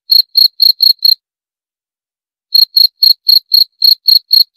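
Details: Cricket giving a run of five quick, high, clean chirps, falling silent for about a second and a half, then resuming with nine more at the same brisk pace.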